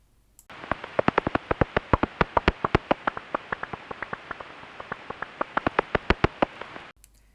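A common pipistrelle's echolocation calls, made audible by a bat detector, come as fast, erratic clicks at a slightly uneven rhythm. The pattern is almost identical to the soprano pipistrelle's, so only the detector's tuning separates them.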